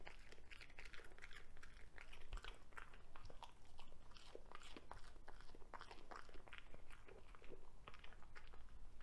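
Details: Broccoli stalk being crunched by a Cavalier King Charles Spaniel indoors; dense, fast crackling bites and chewing snaps follow one another almost without pause, low background hum.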